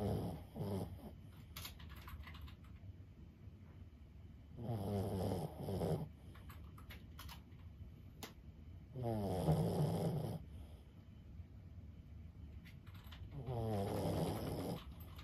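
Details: Lulu, an elderly 15-year-old Boston Terrier, snoring while asleep: four rhythmic, rumbling, wheezy snores roughly every four seconds, each about a second and a half, with light tapping sounds in the quiet room between breaths.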